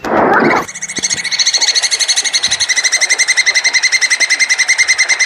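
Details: A plantain squirrel's mating call: a brief burst of broad noise, then a long, loud, rapid chatter of harsh, ringing pulses, about three or four per second, steady and unbroken to the end.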